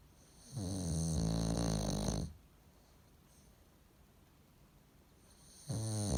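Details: Loud snores from a bulldog asleep, perhaps dreaming: a long grating, vibrating inhale of about two seconds, a quiet pause, then the next rasping snore beginning; room otherwise quiet.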